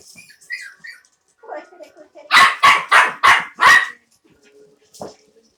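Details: Havanese puppies at play indoors in an office, giving a few soft whines and grumbles, then a burst of five loud, evenly spaced barks about a third of a second apart, followed by one quieter yip.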